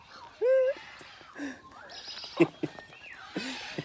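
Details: Captive meerkats at a zoo, mingling with a person on a lunch break: one clear, harmonic, slightly rising whine lasting about a third of a second, followed by faint chirps, soft clicks and rustling.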